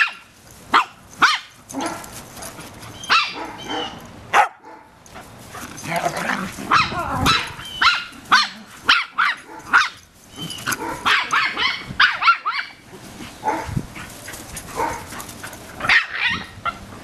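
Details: Small dog Millie yapping at tortoise Lori at their first meeting; scattered sharp barks spaced a second or two apart amid a person talking and laughing, with a noisy background.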